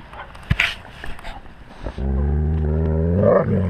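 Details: Wolf with its pack, recorded on a GoPro at wolf level; after rustling and a knock, a deep steady rumbling growl starts and holds to the end.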